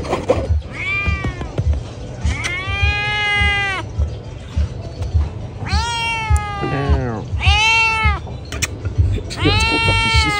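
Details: Loud meowing from pregnant domestic cats. A rapid series of five long, rich meows, some overlapping and some with a wavering, rising-falling pitch, over a constant low rumble.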